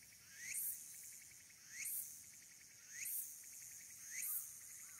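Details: Walker's cicada sings a shrill, buzzy phrase with a rising sweep, repeated about every second, recorded 22 August 2022 from a temple observation deck on Mount Abura, Fukuoka, Japan.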